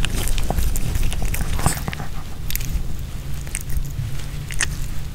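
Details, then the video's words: Pomeranian dog named Nino eating a homemade chicken hearts kebab with bell pepper: crunchy bites and chewing in irregular bursts, roughly two to three per second, over dull low thumps, with no talking. "Pomeranian Dog VS Hearts Kebab (No Talking) ASMR 먹방 EATING SOUNDS"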